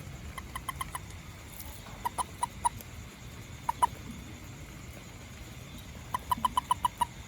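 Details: Small toad calling after rain around a home and garden, where it hunts ants: short bursts of clucking, evenly spaced notes, three to six per burst, separated by pauses, over a steady background hum.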